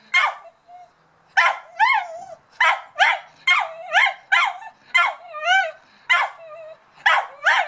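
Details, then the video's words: Dog barking at a cat, giving loud, shrill barks spaced roughly half a second to a second apart, several ending in whiny, bending yelps, with a short gap early on before the barking resumes steadily. "crazy barking at the cat"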